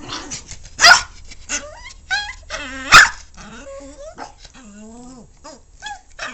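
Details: A vocal pet dog that is noisy every day: wavering, whiny moans that bend up and down in pitch, broken by two sharp, loud bursts and short yips, in an otherwise quiet room.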